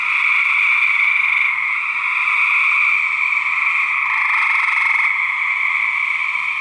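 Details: Gray treefrog males fighting, recorded for research: unbroken loud pulsed trills from several frogs, swelling into a harsher, more rapid burst of pulses near the end.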